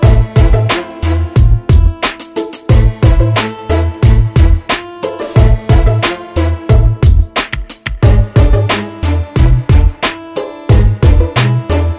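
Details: Loud rhythmic Afrobeat-style music with punchy bass and drums plays throughout, and no animal sound is heard.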